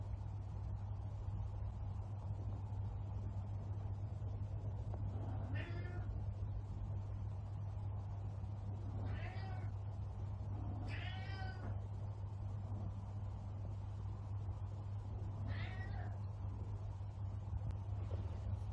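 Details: A female Savannah cat protecting her chair gives four drawn-out, wavering meows spaced a few seconds apart over a steady low hum.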